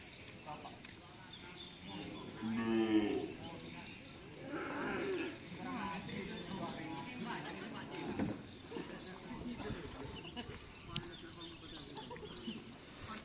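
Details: Cattle at a karapan sapi bull-racing training session of the Bintang Berlian team, at Nyobunih field, Galis, Bangkalan, held to prepare for the Tim Putra Mahkota anniversary. Drawn-out, harmonic lowing rises near two and five seconds over people talking and outdoor background noise.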